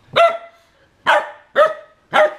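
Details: Varg, a Siberian Husky defending his bone, gives four short, sharp barks, each clear and ringing with a quick fade. The barks come roughly every half second after a brief opening pause, with no other sounds.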